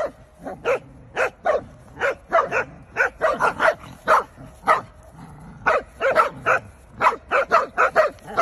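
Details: Corgi dog barking in a rapid series of sharp yaps, roughly three per second, steady and insistent across the whole stretch with only short gaps between bursts.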